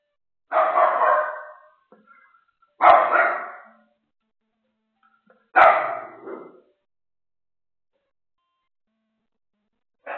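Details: A pet dog barks while a second dog relaxes nearby: three loud, rough barks about two to three seconds apart, with the start of a fourth at the end, separated by quiet gaps.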